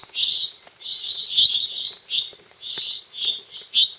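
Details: Small male tree frog, Dendropsophus minutus species complex, calling at night at Los Lagos, Beni, Bolivia: a run of short, high, buzzy notes about half a second each, in uneven bursts, over a steady high insect-like drone.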